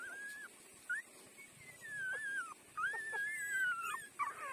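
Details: Puppy aged five days taking milk from its mother, crying in long thin squealing whines that bend up and down, one after another with brief gaps.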